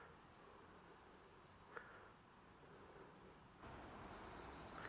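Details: Bees on 28 September 2023 fill the air with a continuous, even buzz. It grows louder and fuller near the end, with one short faint high chirp.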